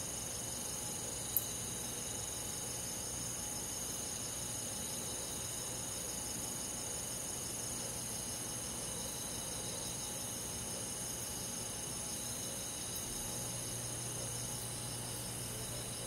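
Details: Countryside crickets and other insects on a summer night in the forest. A dense, unbroken high ringing trill holds steady, with only a few isolated sharp clicks and a soft low rumble beneath.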